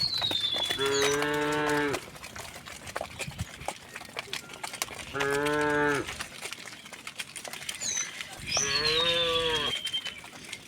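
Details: Cows in a herd walking home through a village on a bright morning, mooing three times at roughly four-second intervals, each call a steady, harmonic low drone; thin descending bird whistles sound in the background.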